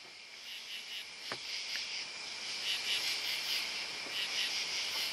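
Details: Crickets and other bugs in a dense, high, shimmering chorus, steady hiss-like trills with faint pulsing chirps about two or three per second, plus a few brief sharp clicks.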